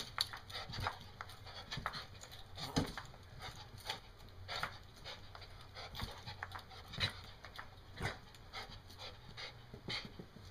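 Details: Over-excited dog named Daisy, panting hard: quick rhythmic huffing breaths repeating roughly once a second throughout, soft and close, over a faint steady hum.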